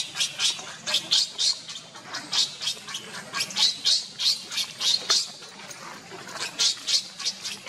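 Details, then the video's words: Baby monkey Leo crying while waiting for its mother or Rainbow to care for it: rapid, harsh high-pitched bursts, about three or four a second, pulsing steadily in loud uneven waves. "baby monkey Leo is seizure crying waiting for mommy or Rainbow to take care"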